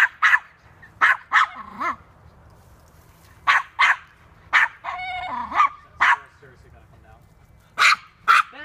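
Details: Toy poodle, male, chasing a squirrel at a park: a run of short sharp high barks in quick bursts with a few rising yelps between them, and a person talking briefly.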